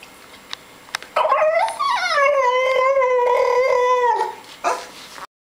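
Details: A 7-month-old French Bulldog, upset at not getting more treats, makes a drawn-out 'talking' moan: it slides up quickly, wavers on a sustained tone for about three seconds, drops off, then gives a short yip after a brief pause.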